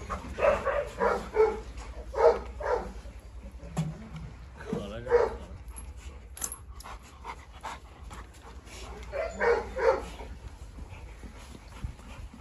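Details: Quieter, irregular dog barks in short bursts over a steady low hum, with people talking, as three dogs, a Presa Canario, a Rottweiler and a Staffordshire, stir up trouble.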